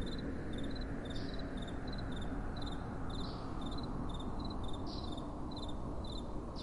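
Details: Night-time crickets give bright pulsed chirps in quick pairs, spaced roughly half a second apart. A continuous low rumble of gentle wind sits beneath them.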